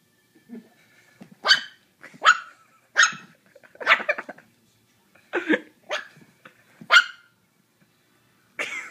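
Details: Puppy playing with a ping pong ball, letting out a run of short sharp barks and yips, some doubled, spaced irregularly through the scene, with light knocks of the ball in the pauses.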